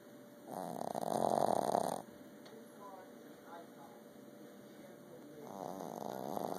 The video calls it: Boston terrier snoring